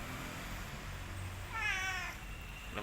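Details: Boy, an orange village house cat, gives one rising then falling harmonic meow lasting about half a second, while a person talks to him and asks whether he has eaten.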